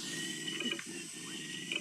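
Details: Male koala mating call, a steady rasping, ratchet-like snore with a pig-like grunting quality that holds through the whole stretch, slightly muffled.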